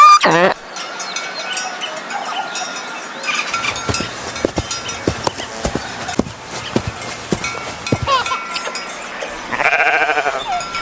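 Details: Sheep on a farm: a short, wavering bleat opens, then a quiet stretch of clicks and tapping, and a second nasal, quavering bleat comes near the end over a faint steady tone.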